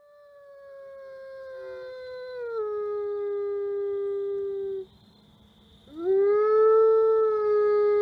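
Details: Atka, a male Ambassador wolf at the Wolf Conservation Center in South Salem, New York, gives an autumn afternoon howl: a long smooth tone that slowly slides lower and holds, breaks off for about a second, then swoops upward into a second sustained howl.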